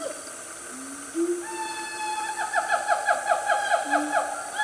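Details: Siamangs, a loud family group in the Gunung Nuang forest of Selangor, Malaysia, at about 10 am: a rising slide into long held tones, then quick pulsing notes that speed up toward the end.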